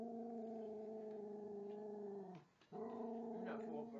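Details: Rescued female Jack Russell mix, about four and a half, growling at a model train under the Christmas tree in her first holiday season. A continuous rumbling growl breaks off briefly midway, then resumes just as steadily.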